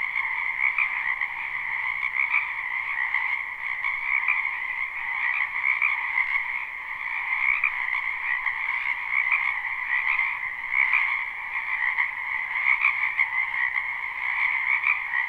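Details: Live recording of numerous frogs in a spring wetland: a constant, throbbing chorus of trilled croaks, swelling slightly in regular pulses every second or two, with no other sounds.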